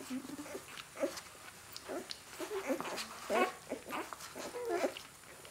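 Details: A 4-day-old Great Dane puppy gives thin, squeaky whimpers, several short rising and falling squeals in quick succession.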